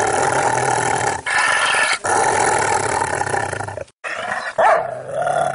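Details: Rottweiler growling in a long, steady harmonic rumble interrupted by brief pauses, ending with a sharp rising snarl after a short silence.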